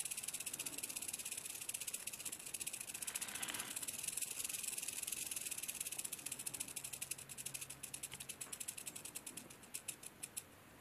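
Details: Western diamondback rattlesnake shaking its rattle: a fast, dry, high buzz that breaks into distinct clicking pulses which slow and fade toward the end.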